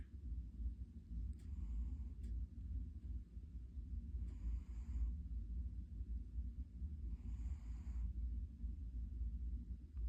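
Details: Cat snoring: a steady low rumbling breath runs throughout, with three brief hissy airy bursts near two, four and seven seconds.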